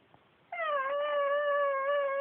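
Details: Male Pekingese, adopted from a shelter, talking indoors: one long steady moaning whine lasting nearly two seconds, beginning with a brief dip then holding an even tone with clear harmonics, in a quiet room.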